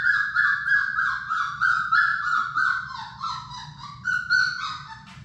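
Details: Labrador Retriever puppies, one of Sadie's litter of six, in their puppy play room. A steady run of high, falling whines, about three per second, each with bright overtones, carries over a low indoor hum.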